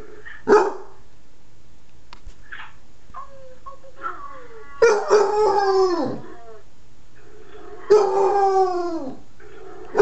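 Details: Nine-month-old pet Basset Hound howling indoors: a short sharp bark, then two long drawn-out howls with rich wavering harmonics that slide downward at the end, separated by a few seconds of quiet and soft yips.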